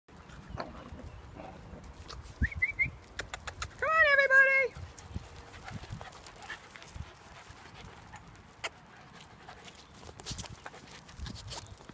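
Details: A young male rescue puppy from Puerto Rico, up for adoption, gives a brief, high, wavering whine amid a noisy indoor background; his breed mix is uncertain, possibly Weimaraner and corgi.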